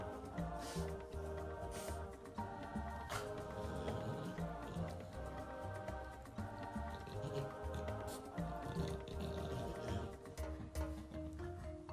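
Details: Continuous soft instrumental music with dripping, plinking tones and a low bass throughout.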